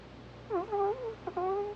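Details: Sleeping Pomeranian Hana makes cute snores: two squeaky, whining nasal tones. The first dips and rises, and the second is short and then steady. A low indoor hum sits underneath.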